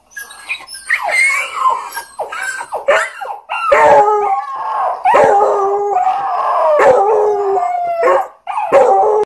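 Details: A small basset hound, Labrador and dachshund mix gives drawn-out, quavering mid-pitched howls in several long bursts that rise slightly, then trail off, broken by sharp yips and barks.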